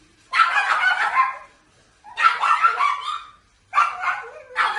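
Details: Pet pugs at their daily howl session, held at 5 am and 5 pm: three bursts of wavering, yodelling howls, each about one to one and a half seconds long, separated by short silences.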